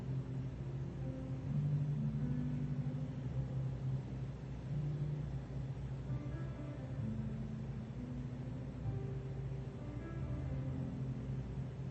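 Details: Deep traffic rumble blends with soft background music outdoors in a built-up area, and no animal call stands out.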